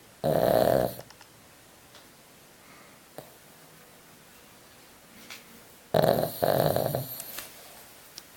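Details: A 25-year-old Pekingese snores loudly in two long, rasping bursts with quiet breathing between them.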